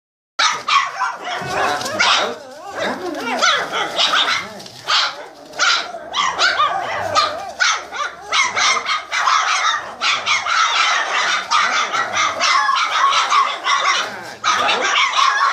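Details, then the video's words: Boxer puppies 27 days old, the E litter of a boxer kennel, sired by Haakon von der Vogelwarthe out of Greta. Several pups give dense, overlapping high yips and squeaky barks, nearly continuous with brief pauses. "Barking - session #1"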